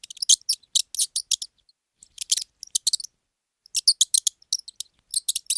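A mouse gives bursts of very high, thin squeaks in quick clusters.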